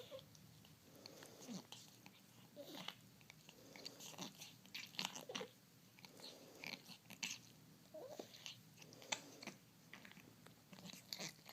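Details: Domestic cat with a respiratory disease making loud, weird noises while licking and cleaning itself indoors; irregular wheezy snorts and clicky, crunchy bursts in quick uneven succession, with faint short tonal squeaks.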